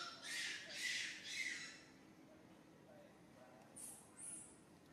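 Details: Baby monkey named SUCA crying out loudly in pain after being grabbed by another monkey, SUSAN: three harsh, broadband screeching bursts in quick succession, then quieter high squeaks and faint background noise.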